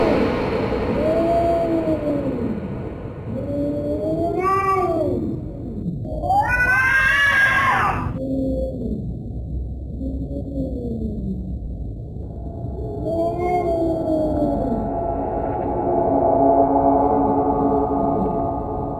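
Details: Cat caterwauling in long, bending moans, one after another. A harsh, screechy outburst comes near the middle and is followed by more low, arched wails, over a constant low background hum.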